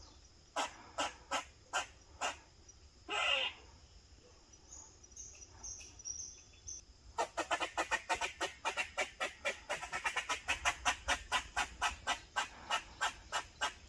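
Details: An Eastern gray squirrel gives sharp, raspy barks as protective behaviour, first spaced apart, then in a quick rhythmic series.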